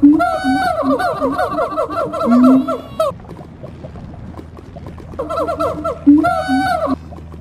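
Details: Siamangs in a calling duel give loud, rapid series of wavering, rising-and-falling hoots in two bursts, after morning calling escalated into a fight.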